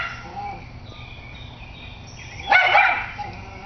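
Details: Schnauzer Sonya confronting a squirrel lets out one sudden, rough bark midway, after quiet moments with faint high bird twitters in the background.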